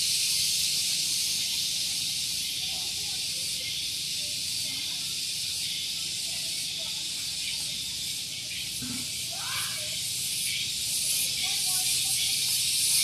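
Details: Loud morning cicada chorus at Gunung Geulis in Bogor, West Java, near a vehicle parking area: a sustained shrill buzzing drone pulsing about four times per second, with a brief lower sound around the middle.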